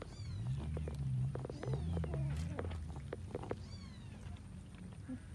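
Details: While eating rice with fish, cats make thin, high, falling mews, several spaced across a few seconds, mixed with sharp clicking and chewing noises above a constant low hum.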